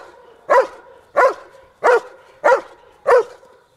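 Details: A young dog, 19 months old, barks in a training blind while learning that barking earns a ball reward; five strong barks follow each other at a steady pace of about one every 0.65 seconds.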